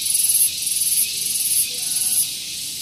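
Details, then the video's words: Loud cicada (tonggeret) on a morning at Gunung Geulis, Bogor, West Java, near a parking area; shrill high buzz in quick rhythmic throbs, with three bursts each about half a second long. "Santuy Pagi Ditemani Suara Tonggeret"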